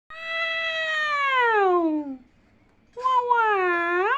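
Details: A kitten that has just woken up gives two drawn-out, harmonic meows, the first falling slowly, the second dipping then rising.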